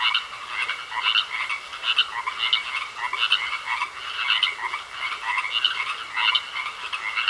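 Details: Croaking frogs in a pond, rhythmic grating rattles arriving in bursts slightly under a second apart, around eight to nine bursts, rising and falling in loudness against a quiet hissing backdrop.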